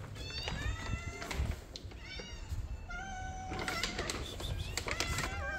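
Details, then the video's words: Hungry kittens meowing indoors as their dinner comes late: a string of clear, rising-then-falling meows from several voices, some overlapping, with clattering and household noise beneath. "The kittens said: you man! you are late for the dinner, we want to sleep."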